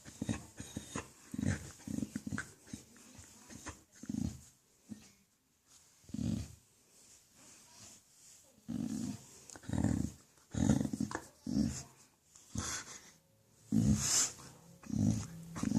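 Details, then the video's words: Indoors, a dog being petted lets out odd contented noises, low rumbling groans and grunts coming in irregular bursts separated by quiet breathing pauses, some bursts rising into brief whiny tones. "Dog loves a good petting and makes weird noises"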